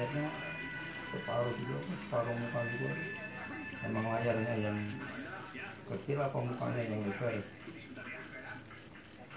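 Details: A rice-field jangkrik jeliteng, or Java cricket, keeps up a fast, even run of piercing high chirps, roughly three to four each second, each a brief rattle of pulses, while faint low voices murmur beneath.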